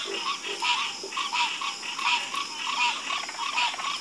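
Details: Frogs croaking in a night chorus, a steady pulsing of repeated calls about every half second, each with a bright upper tone, layered over a constant high insect-like hiss.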